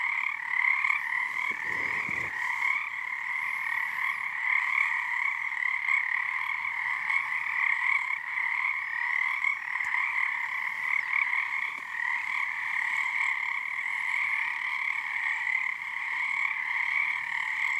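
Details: Frogs in full chorus on Harstine Island, Washington, on a snow moon night as their numbers build. A constant, buzzing, layered trill runs throughout, with a short low knock around two seconds.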